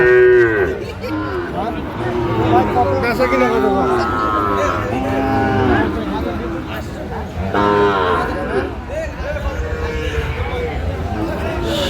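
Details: Repeated lowing from a Sahiwal bull at a Natore cattle market, Bangladesh, 2 February 2025. Long, wavering moos come in several bouts, mixed with men's voices haggling and faint music.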